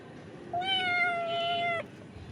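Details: A hungry cat waiting to be fed gives one sustained, steady meow lasting just over a second, rich in harmonics and ending abruptly, with quiet indoor background.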